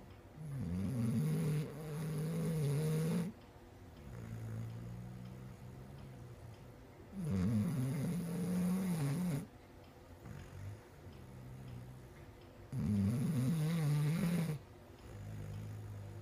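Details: A female Basset Hound snores in deep, rumbling breaths, each lasting about two seconds with quiet pauses between.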